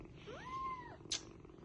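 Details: Kitten mewing for its mother to pick it up: one clear arched meow, rising, holding level, then dropping, followed by a short sharp noise burst, over low room hum.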